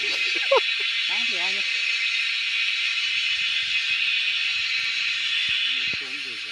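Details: A loud wall of cicada buzzing in the wild during a hunt for the insects, steady and shrill, softening slightly at the end, with short exclamations from people early on and faint rustling.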